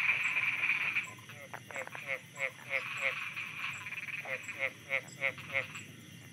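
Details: Night frogs in Thailand, croaking in pulsed, buzzy notes repeated about three times a second after a dense opening burst, with a constant high insect hum and soft ticking behind.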